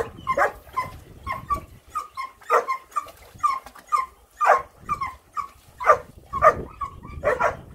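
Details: A water-loving Rough Collie puppy at play in water gives short, high yapping barks, roughly one every half second in uneven bursts, some clipped and some drawn into brief whine-like tones.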